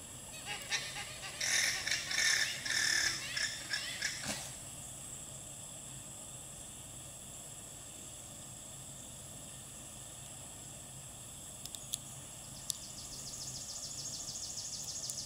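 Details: Female alpaca alarm call to the herd: a rapid run of about six high, honking, harmonic bursts packed into the first four seconds, then quiet steady hiss with a few sharp clicks later on.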